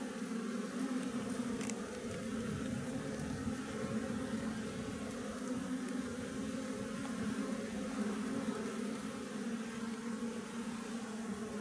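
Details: Steady droning buzz of a wild Apis mellifera colony inside a honey tree, a thick low hum of massed wings running unbroken, with one faint click early on.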